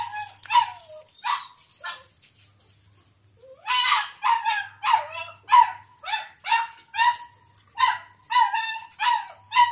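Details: A playful Doberman puppy indoors, eating milk, whimpers in short, strained, nasal yelps. A few sparse cries come first, then a fast run of about a dozen rhythmic whines, roughly two per second, over a faint background hum.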